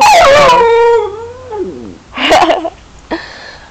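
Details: Lucky, a pet dog, whines because companion dog Goldy ran away: one drawn-out cry that slides downward and fades over about a second and a half, followed by a person speaking and a short sharp noise.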